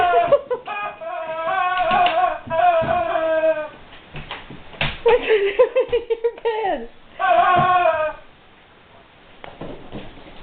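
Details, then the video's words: A guard dog whimpers over a squeaky toy it does not know what to make of, giving long high wavering whines in bursts, with brief breaks and a few soft knocks between them indoors. "Guard Dog Whimpers over Squeaky Toy"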